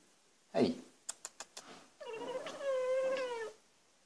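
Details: An Abyssinian cat chatters at birds outside: a sharp bark-like chirp, then quick clicking chatter and a drawn-out harmonic cry.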